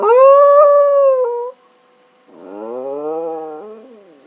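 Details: Howling house dog responding to a person's meowing: a loud sustained wail held for about one and a half seconds, a pause, then a softer, lower rising-and-falling moan.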